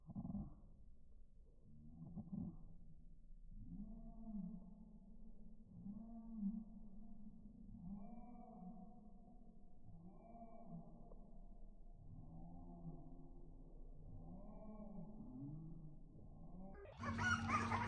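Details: Pedigree Lagotto Romagnolo puppies, males and females, brown and brown-and-white, whine in a run of low, arching, moaning cries repeated every second or two.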